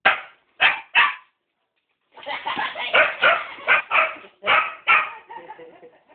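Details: Two Rottweilers barking: three loud, sharp barks, a pause of about a second, then a fast run of overlapping barks and yips that trails off into softer whines.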